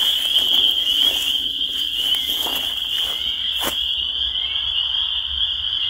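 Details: Spring peepers calling in a dense chorus, their high peeps blending into one unbroken, shrill ringing band at a steady pitch, with a brief sharp click near the middle and a faint low rumble underneath.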